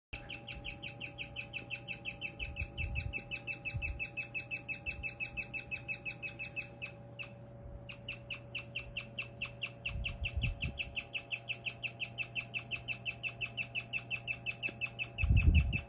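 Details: Pet guinea pig named Lumi chirping, a rare sound often mistaken for a bird: rapid, steady series of short high chirps with bright overtones, nearly three per second, continuing almost without pause, a brief break near the middle, low indoor hum and faint rustling beneath.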